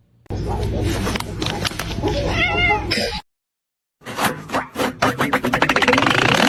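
A domestic cat gives short, rising-and-falling meows over background music and noise.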